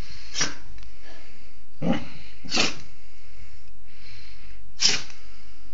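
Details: Pet dog, a female, sneezing indoors in a small room: four short, sharp broadband bursts, spaced irregularly about a second or more apart, with quiet sniffing between them.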